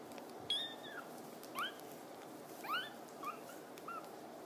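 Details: Playing, climbing Sphynx kittens give short high squeaky mews, about five thin rising-falling calls spaced roughly a second apart over a steady background hiss.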